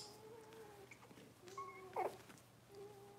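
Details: Six-week-old Cavalier King Charles Spaniel puppies indoors in a puppy pen, handled while being dewormed and having toenails trimmed; thin, steady tonal whines, one held for nearly a second, then a brief squeak and a later soft whine, quiet room background.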